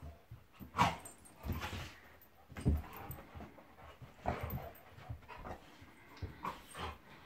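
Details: Play fight between a Golden Retriever named Monty and a Labrador named Eric, heard as scattered throaty growls and huffs, a sharp louder snarl near the start and softer grumbling between bursts.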